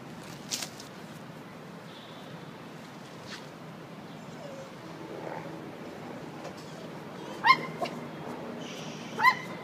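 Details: Poodle showing off against a bigger dog, letting out two short, sharp, high yipping barks close together near the end, about two seconds apart, over a quiet indoor background with faint scattered knocks.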